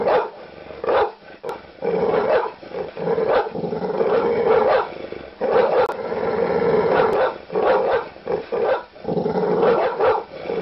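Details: Angry dog alternating deep, drawn-out growls with sharp barks, short rapid runs of barks breaking through the continuous rumble.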